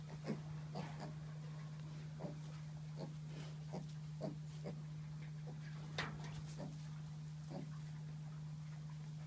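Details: Pet micro pigs at a UK breeder, giving short, soft grunts in an irregular series, roughly one every half second to second, over a steady low electrical hum.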